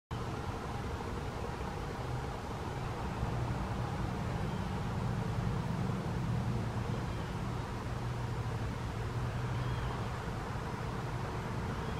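Steady low rumble of passing vehicle traffic with no animal calls standing out.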